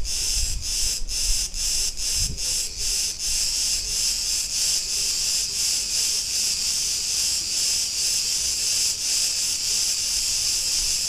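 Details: Cicadas in a street of Ierapetra, Crete, Greece: a steady shrill buzzing chorus with clear rhythmic dips about two or three times per second, brief low thuds early on.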